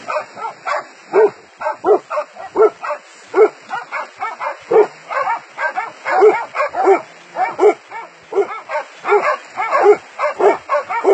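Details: Dogs catching a wild boar: a fast, steady run of loud, harsh barks, roughly two per second, continuing for over ten seconds with little pause.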